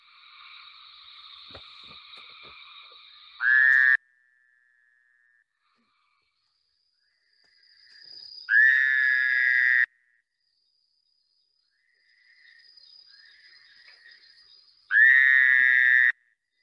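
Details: Fowler's toad from Long Island, heard at night at a wildlife refuge and likened to a scream: three loud, nasal, wavering screams, each about one second long, spaced several seconds apart, with fainter similar calls between them.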